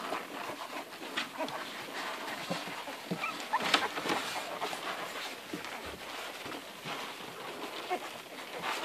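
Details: Ruby's eleven Irish Red and White Setter puppies at the teat, hungry and nursing. Loud, crowded smacking and sucking fills the clip with bursts of squeaky noise, strongest around the middle.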